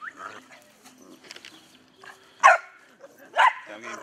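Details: ["Albino Pit Bull, a very rare dog, recorded with a Sony HDR-AX2000, gives two loud, abrupt barks about a second apart after quieter murmuring and a person's voice."]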